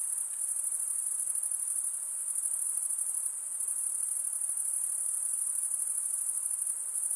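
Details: A nighttime insect chorus rings as one constant high, silvery trill, dipping slightly in loudness around the middle before resuming steadily, with a soft background hiss.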